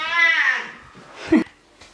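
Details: Simba, a dirty pet cat indoors just before a bath he dislikes, gives a loud, clear meow that falls in pitch over about half a second, followed by a brief murmur and a click in a small room.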